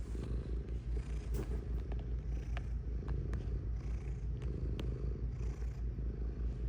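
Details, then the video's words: A cat's close, loud purr: a deep throbbing rumble pulsing roughly two and a half times a second, with scattered small clicks and taps. "Purring Cat"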